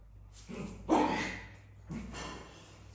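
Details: Africa, a dog in a house shared with cats, wanting to play with the tired cats, gives two or three short, breathy, hoarse barks spaced about a second apart indoors.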